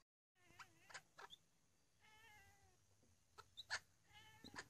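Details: A Burmese cat, watching a king parrot on the roof, gives the funny noise it makes at birds: a run of short, chirping meows with falling pitch, broken by sharp squawks, almost like a conversation.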